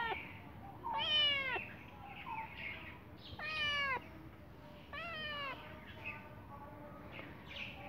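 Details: A cat meows loudly three times, about every two seconds. Each meow is a long, wavering cry that falls in pitch at the end, with softer short mews between them.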